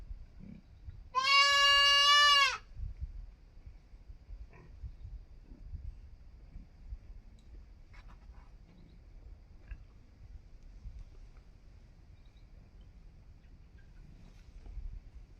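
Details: Young goat kid giving one loud, wavering bleat lasting about a second, rich and nasal with many overtones, followed by a long stretch of quiet low rumble and faint scattered clicks.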